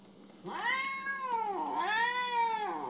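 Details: A pet cat named Mo, indoors, gives two drawn-out harmonic meows, each rising then falling and dipping low at the end; a man talks to the cat just before and after.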